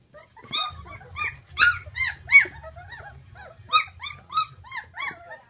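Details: Great Dane puppies at sixteen days old squealing in uneven bursts of high whines and squeaks, with a low rumbling murmur beneath through the middle.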